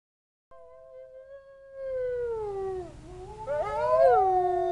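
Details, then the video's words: Captive wolves at a zoo howling in response to distant sirens: long smooth tonal howls, one sliding slowly downward, then overlapping voices rising and bending into a chorus, with low rumbling background noise. "Wolves Howling"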